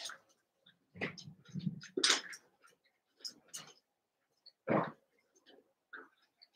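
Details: Several Cavalier King Charles Spaniel puppies from two litters, eight together indoors, playing and making short high squeaks and whimpers amid scattered rustling and thumps.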